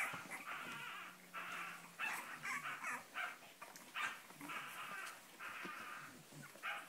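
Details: Cavalier King Charles Spaniel barking in short, rasping bursts separated by brief pauses. A faint steady low hum runs underneath early on.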